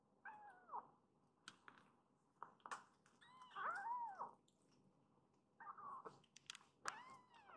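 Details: Foster kittens, rescued and only recently arrived, pressing toward the mother cat for comfort after napping; repeated arched meows, one long and loud near four seconds, with clicks and rustle between.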